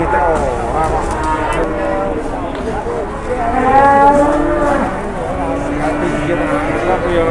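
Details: Big cattle at a livestock market in Indonesia, somewhat unruly, low repeated lowing that swells and wavers, with overlapping moos and constant crowd noise behind.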